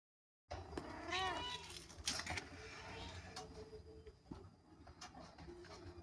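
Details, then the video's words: Two baby kittens meowing: a wavering, high, quavering meow near the start, then scattered shorter mews and clicks as the sound fades, with some background knocking. "ANAK KUCING MEONG MEONG"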